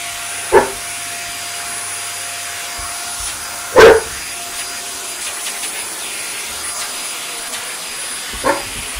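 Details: Dogs, one pointer and two ridgebacks, going mad at a running hoover indoors; three loud single barks spaced a few seconds apart over the steady whine of the vacuum cleaner.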